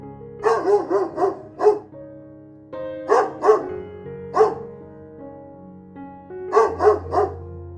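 A dog barks in quick bursts of three or four sharp woofs, pausing between groups, over a soft background of sustained music.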